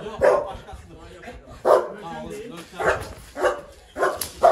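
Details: Golden Retriever in guard training for protecting its owner barks on command: five short, loud bursts spaced about a second apart, with a quiet pause between each.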